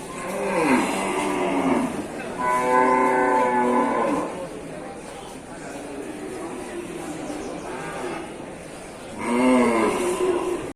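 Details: Wild water buffalo herd driven to Sibreh market in Aceh Besar: a short rising-falling moan, then a sustained rich lowing bellow around two seconds long, a quiet gap with background murmur, and a final drawn-out rising bawl.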